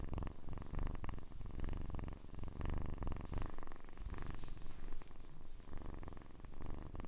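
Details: Kitten purring up close in a quiet indoor setting for relaxation listening: a steady low rumble of rapid, even pulses running continuously with slight swells in strength, and a faint brief higher squeak midway.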